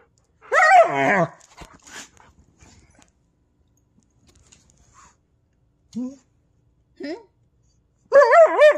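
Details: German Shepherd and Husky mix indoors making wavering, yodel-like vocalisations: a loud warbling burst, a few short soft yelps in between, and another loud warbling phrase at the end, in a quiet small room.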